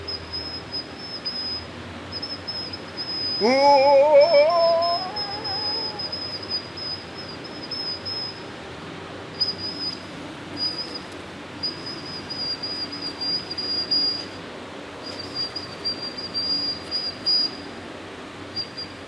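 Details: Pet cat giving a single drawn-out meow that rises and then levels off, lasting about two seconds, over a steady high-pitched whistling tone and a quiet hiss.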